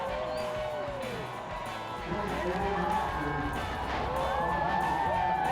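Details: Sled dogs at the start line of the Lake Minnetonka Klondike Dog Derby, a winter race on a frozen Minnesota lake, eager to go: overlapping rising and falling howls and yelps from many dogs over steady crowd noise and music.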